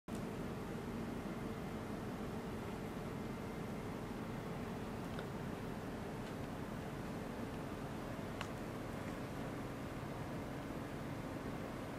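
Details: Steady hiss of indoor background noise like a fan, with a few faint ticks and no animal voice heard.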